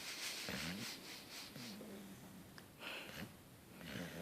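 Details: Sleeping beagle, tired and twitching, snoring in repeated rough breaths roughly every second, each a low rasping rattle with hissy airy noise above, breaths swelling and fading.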